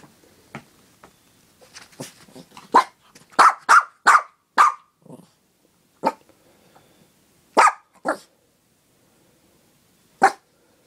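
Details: Pet dog barking while asking for a treat. Soft yips build into a rapid run of sharp barks around four seconds, then scattered single barks with pauses in a quiet room.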